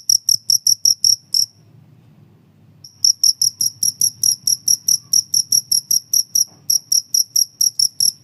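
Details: Cricket chirps used as a mouse deterrent and as a training sound for songbirds: fast, shrill pulsed chirps repeated evenly, briefly stopping after the first second and a half, then returning in a steady run with a soft low hum behind.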